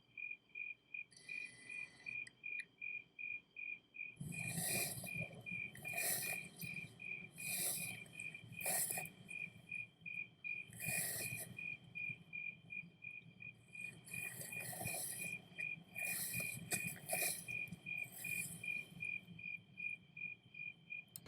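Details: Crickets chirping at night while a man walks through bushes; a high, evenly pulsed chirp repeats rapidly throughout, overlaid by loud rhythmic rustling footsteps through shrubs.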